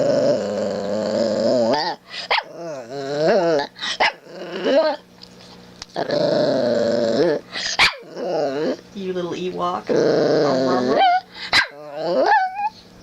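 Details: Shih Tzu puppy named Gracie Mae, getting sleepy, vocal and yawning: long wavering whines and warbling moans in several bursts, some sliding up and down, with a woman talking softly to her.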